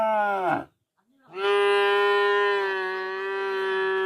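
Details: Cow mooing in a village: a long, steady, strongly harmonic moo held for about three seconds after a short opening call and a brief silence.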